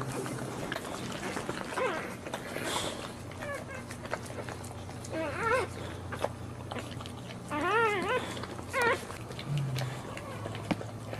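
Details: Boxer dog giving birth while standing; several clear high wavering whines, each sliding up and down in quick wobbles, coming in bursts about every one to three seconds over a low background hum.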